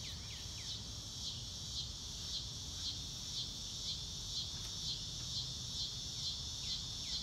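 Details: Crickets on a blue-sky day in grassy nature, recorded in real time with no music: a steady high shrill trill pulsing about twice a second, with short falling bird chirps at the start and end.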